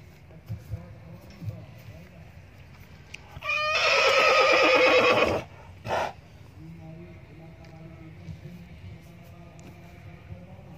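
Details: A horse gives one loud, rough neigh lasting about two seconds, followed by a short second burst, over a steady low background hum.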